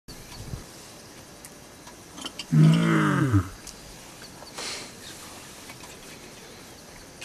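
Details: Lion at Olare Orok: one loud, low, harmonic groaning vocalisation of under a second that bends downward in pitch at its close, set against a quiet open-air background with faint rustling.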